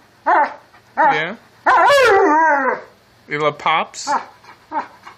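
An Alaskan Malamute 'talks' in wavering, drawn-out howls that rise and fall like speech.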